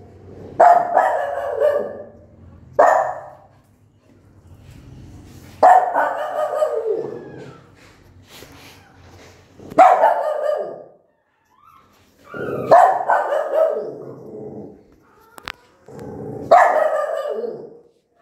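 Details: Aggressive mother dog with newborn puppies, barking long and loudly: about six deep, rough barks, each a forceful burst with a trailing growl, coming every two to four seconds against a quiet background.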